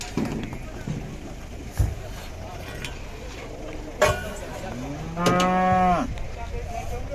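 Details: Agitated cow coming down off a truck: one loud, hoarse, drawn-out moo lasting under a second near the end, preceded by thumps, bangs and background voices outdoors.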